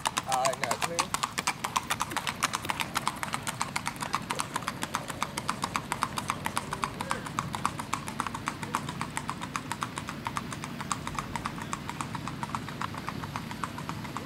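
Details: Strawberry roan Tennessee Walking Horse stud carrying a little girl on a ladies' trail ride in Macedonia, Texas: a fast, steady run of crisp clip-clop hoof strikes throughout, with voices talking nearby.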